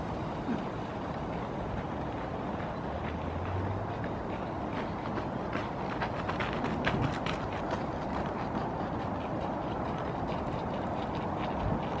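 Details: A steady low rumble like passing traffic or a train fills the clip, with scattered clicks and no animal calls.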